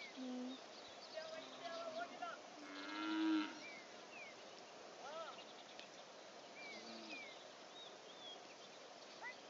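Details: Domestic cattle herd in Masinagudi, north of the Nilgiri Hills in South India, in January 2015, as a small dhole pack runs through them. One short, loud, harmonic moo sounds about a third of the way in, amid scattered bird chirps and quiet human voices.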